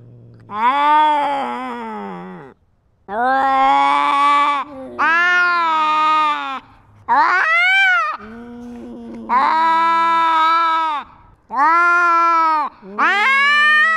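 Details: A GoPro-wearing cat fights to assert dominance over territory, giving a long series of about eight moaning yowls over fourteen seconds. Some are flat and sustained, others rise sharply or waver, with short breaks between them.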